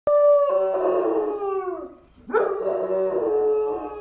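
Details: Pet German Shepherd howling as an ambulance passes by its home: a long, steady, tonal howl that slides downward and fades, then a second howl rises sharply and holds a level, wavering tone.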